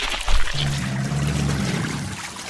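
A black caiman gives a deep, droning rumble lasting just over a second, with water splashing around it.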